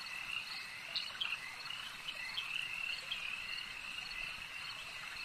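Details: Lakeside frogs in a continuous high, shimmering chorus, with a cluster of sharp, slightly rising croaks near the start and softer notes scattered later. A steady insect-like drone underlies everything.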